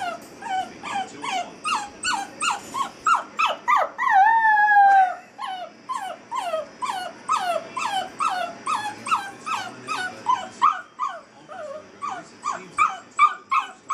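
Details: In her crate for the first time, eight-week-old Basset Hound puppy Molly gives quick, falling whimpers, then one sustained, wavering howl of about a second, then returns to the rapid, steady whimpering.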